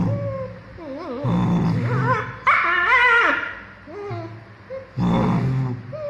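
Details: Two-month-old female German Shepherd puppy barking while playing: wavering high whines and yips, then harsh, loud barking bursts with strong harmonics near two and a half seconds and again near five seconds.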